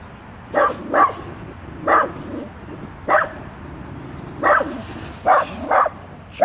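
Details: Small, fearless Dachshund telling off a full-grown Rottweiler: sharp, mid-pitched barks, about eight in six seconds, some in quick pairs, over a low steady hum.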